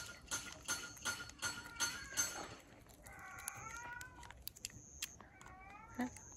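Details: Stray cat in a car park, fed a treat, while another cat is heard crying; rapid clicking and chewing noises, then two wavering meows a second apart, each slightly falling, with faint voices nearby.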